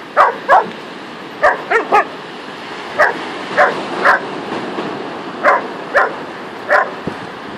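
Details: Two dogs, Luna the Saluki and Louie the Whippet, having fun on the beach, playing in the sand; quick yipping barks arrive in pairs and short bursts, roughly a dozen, over a low hiss of wind or surf.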